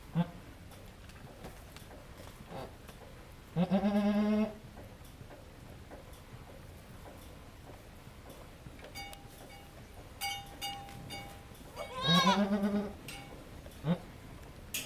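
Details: Goat on a goat farm during birth of triplets, as the second kid is born; two loud harmonic bleats around four and twelve seconds, with quieter clicks, a faint steady tone and people talking softly.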